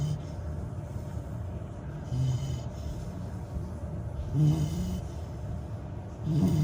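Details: Labrador retriever puppy a little over 100 days old, asleep and snoring: faint, low, breathy snores at irregular intervals of about two seconds, partly buried in a constant low room hum.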